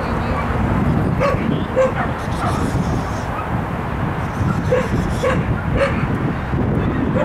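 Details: Shetland Sheepdog named Lex during an agility jumping run on 12.10.14, giving scattered sharp barks at irregular intervals over a steady low rumble of outdoor noise.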